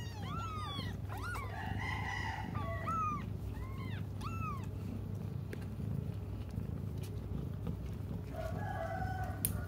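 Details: Crying cats waiting for their mother give a quick series of bent, wavering meows in the first five seconds, then a longer flat wail near the end, set against a steady low-pitched drone.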